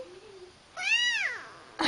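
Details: Indoor domestic cat uttering one arched meow that rises then falls, preceded by a soft spoken voice and ending with a short noisy sound.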